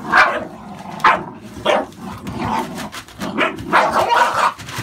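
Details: American Staffordshire Bully puppies, born 11/16/2017 and kept by a breeder, give a string of short, sharp barks and yips spaced about half a second to a second apart, with a man talking over them.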